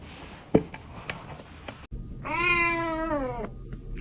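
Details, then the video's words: A kitten meows to attract cats. A few soft knocks and clicks come first, then one clear, even meow of about a second that dips slightly at the end. "Kitten meowing to attract cats"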